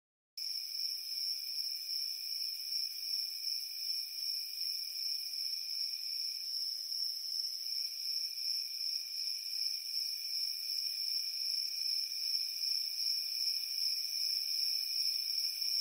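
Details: Crickets chirping on a warm summer night, a steady, shrill, high-pitched trill with a gently pulsing rhythm, with a fainter lower trilling band beneath it. The sound begins after a brief silence, then continues unbroken throughout.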